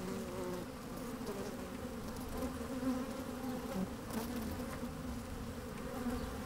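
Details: Working honey bees in an open hive on a fine, sunny day, microphone lowered among them; constant buzzing drone with small rises in pitch and volume as individual bees buzz, plus soft crackles and a brief wind puff.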